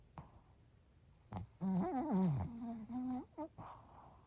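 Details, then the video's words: Bochao, a sleeping Pomeranian, snores during a lunchtime nap: a short click, then a sustained wavering, squeaky snore lasting nearly two seconds that dips low and rises, followed by two brief snorts. "【いびき】【ポメラニアン ぼちゃお】"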